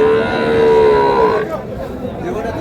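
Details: At Raniganj market in Dinajpur, May 4, 2026, among cows offered with calves, a fairly high, even moo sounds for over a second, dipping slightly at the end, then fades into busy crowd chatter.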